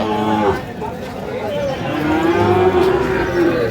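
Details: Sahiwal-breed bull calves at a busy market in Chuadanga, Bangladesh, June 2025; a long, slightly rising moo fills the second half, after a brief call at the start, with crowd murmur behind.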